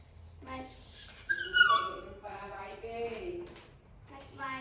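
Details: Little puppy standing on two legs, begging its owner not to leave: a high, drawn-out whine sliding downward over about a second, followed by a person talking softly in Khmer.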